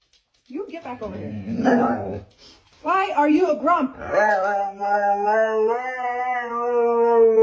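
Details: Siberian Husky vocalizing indoors, starting with a grumbly, wavering moan and a woman's voice, then settling into a long, sustained, steady howl that holds its pitch through the final four seconds.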